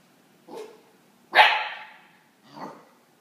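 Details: Eight-week-old Akita puppy barking at a cat sitting on its crate: three barks, a soft one, a loud sharp yelp-like bark, then a softer closing bark, about a second apart.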